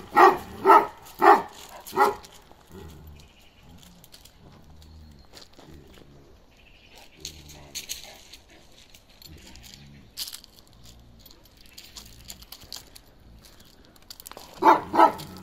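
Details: Deep barks from Balyoz, a 15-month-old male Kangal with a karakırçıl coat: four quick barks open the clip, a long stretch of low murmuring and quiet follows, and a couple more barks close it.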